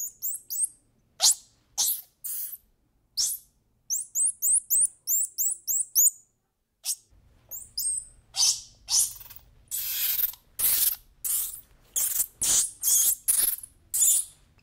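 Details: Squirrel monkey giving rapid runs of thin, high-pitched chirps and peeps in quick bursts, then louder, harsher squeaky calls repeated about twice a second, with a faint low hum in the background during the second half.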